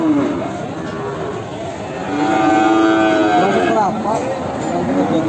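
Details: Peranakan Ongole (PO) cattle at the Kliwon market in Kebumen in the morning; a long low moo holds steady, then bends upward near the end, over crowd chatter, speech and vehicle noise.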